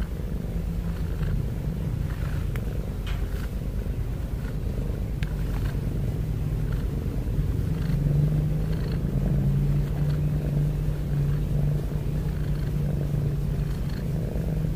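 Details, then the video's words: Cat snoring heavily, a low, rough continuous rumble that grows slightly louder and fuller past the midpoint, with faint light clicks above it. "Cat Snoring N Cat Heavy Breathing Sound"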